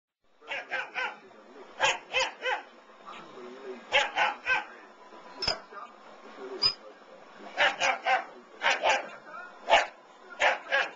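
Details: German Shepherd pup, vocal and newly acquainted with a household cat and a Weimaraner dog, recorded November 2008 on a Flip camcorder; sharp high yapping barks in quick clusters of two or three, spread through the recording.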